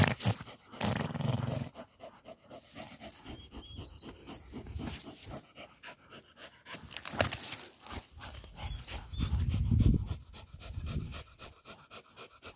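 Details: Fast rhythmic panting, about four breaths a second, from a female Pit Bull catching a peccary; two louder deep rough bursts break in near the start and two-thirds through, with scuffling around them.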